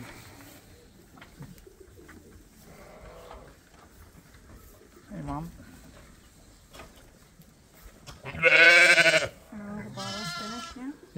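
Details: Lambs at Ewetopia Farms, topped up by bottle twice a day: two loud, harmonic, wavering bleats near the end, each under a second, after a stretch of quiet talking by people.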